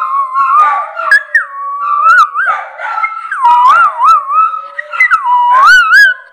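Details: Miniature Schnauzer named Maya howling with other dogs drawn in: a loud, wobbling, sliding howl that warbles up and down, broken by brief hiccups and clicks, over a lower sustained dog howl.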